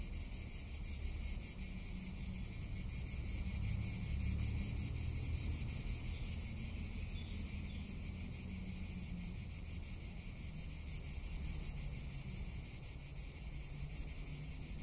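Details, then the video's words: Cicadas in summer in Tuscany, a steady high-pitched buzzing drone with fine rapid pulsing that runs unbroken through the whole stretch, over a soft low rumble of wind. "Cicada or Cigarra - Sounds of summer in Tuscany"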